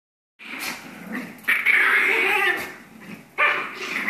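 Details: Two Pomeranians playing and fighting together: bursts of harsh, rasping growls and snarls, some long and sustained, broken by short yips, with a loud outburst near the end.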